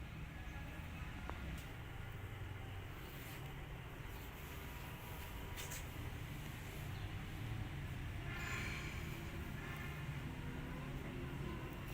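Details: Steady low rumble like a passing vehicle or train, with faint speech and music traces and no animal voice.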